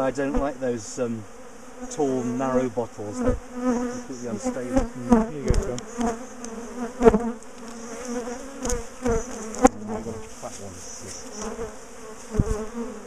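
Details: Defensive bees of a big colony in a garden top bar hive, being split and moved, give a steady low hum with a higher overtone. Wavering human voices and sharp knocks from handling the hive sound over it.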